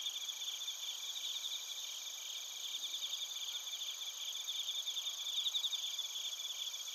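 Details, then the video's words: Crickets and bell crickets in Narita, Chiba Prefecture, Japan, TASCAM Portacapture X8 recording. An unbroken high, thin chorus of quick repeated pulses, moderately quiet, brightening slightly in the last seconds. "スズムシとコオロギの鳴き声 - Chirping of crickets"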